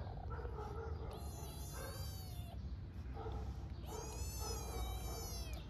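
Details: Hungry stray kitten in Istanbul, Turkey, meowing loudly for its mother cat: two long, high, strained meows, each drawn out and slightly wavering, with low street rumble behind.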